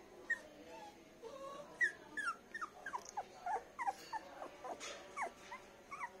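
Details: Poodle puppies, including a light golden pup, on a bed give many soft, thin whimpers, each sliding downward. They come irregularly throughout against a faint household background.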